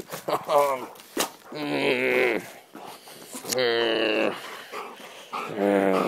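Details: Excitable Dobermann giving drawn-out, strongly harmonic howling whines in four bursts, each lasting up to a second, while a man speaks Dutch over it, urging calm.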